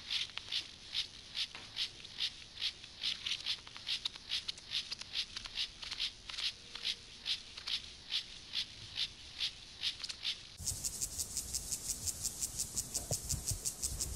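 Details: Siberian grasshopper male in courtship display, stridulating rapid rasping pulses for about ten seconds before an abrupt switch to a denser, noisier scratching sound.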